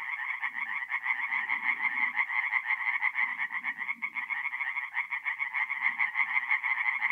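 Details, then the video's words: Night chorus of tree frogs at a forest pond, north-east Italy, mid-April: fast pulsed croaking fills the clip, with a brief dip near the middle, plus faint low murmuring croaks from other frogs in the background. "relaxing forest pond by night with singing tree frogs"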